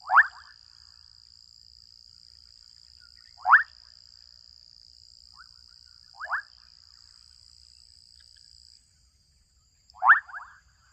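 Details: Adolescent frogs in a Kenyan wetland call repeatedly: four clipped, cracking croaks roughly every three seconds, some with a short rattle after, over a thin continuous insect whine that drops out near the end.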